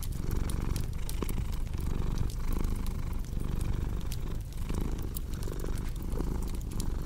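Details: Purring cat with a rumbling, evenly pulsed low purr, each inhale and exhale marked by a gentle swell, beside steady crackling and popping firewood.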